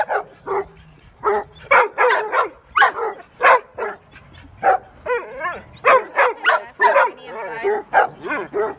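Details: Dogs in a fight: choppy bursts of barking and snarling mixed with wavering, whining yelps, coming in uneven clusters.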